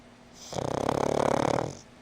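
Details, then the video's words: Petit, a black female pug born 18 November 2009, snoring while asleep indoors: one drawn-out rattling breath of about a second, with fast regular pulses and a hiss above. "いびきするぷち 黒パグ♀"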